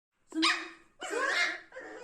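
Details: Angry 60-day-old aggressive Pomeranian puppy, male, arguing with its owner indoors: two sharp, high yapping barks about a second apart, then the start of a third, with a woman talking right after.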